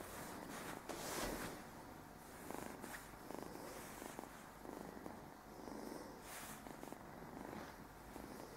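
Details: Speedy, a male Burmese kitten about 9-10 weeks old, purrs steadily while getting to know his new home a couple of weeks after arriving; soft continuous rumbling with brief louder rustles and handling noises.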